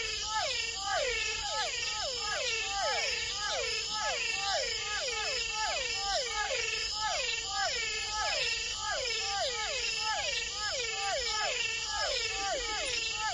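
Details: A dense night chorus of frogs and toads in the Amazonian forest, with many overlapping whining calls that fall in pitch.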